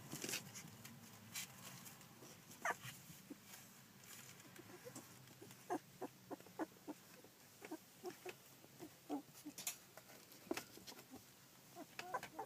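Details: Newborn Collie litter at fourteen days old, 9 July 2012: thin high squeaks and little yelps repeated every second or so, interspersed with soft clicks and rustling.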